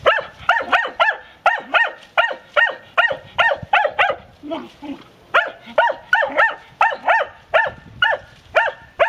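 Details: A Segugio Maremmano in training gives a fast run of sharp, ringing barks, two or three each second.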